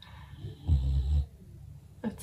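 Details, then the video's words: Birdie, a female English bulldog, snoring while asleep upstairs at home: one deep, low rumbling snore lasting about half a second, then soft breathing and a brief human voice at the end. "Birdie doing her bulldog snoring"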